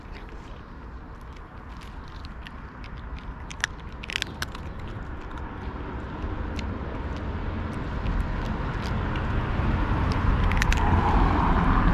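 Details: Road traffic hum grows steadily louder, with scattered sharp clicks and taps, and no animal voice is heard.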